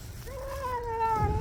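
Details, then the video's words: Stray cat eating and meowing, one drawn-out mew that holds level and slowly falls, over low rumbling background noise. "야옹 야옹 울면서 사료먹는 길냥이"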